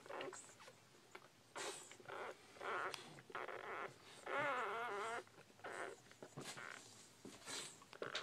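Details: Hour-old female Bull Pei puppies give repeated short squeaks, then a long quavering whine lasting nearly a second, followed by more brief cries and handling noises indoors.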